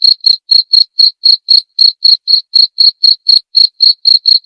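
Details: Steady cricket chirping, offered as masteran material for songbirds and for therapy; short shrill pulses repeat about four times a second with no pause and no other sound.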